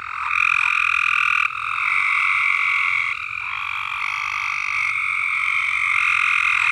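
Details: Unbroken frog chorus at Alderman Farms, with dense overlapping trills that rise and fall in loudness as individual callers start and stop, and no other sounds.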